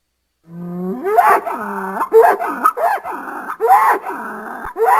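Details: A bull on a farm opens with a low steady note that rises into a series of quick, wavering, strained bellows, rising and falling repeatedly without pause.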